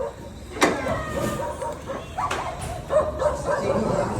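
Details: Belgian Malinois, one of two pet dogs named Luna and Dax, giving three sharp, separate barks at uneven spacing over a steady engine rumble and nearby people talking.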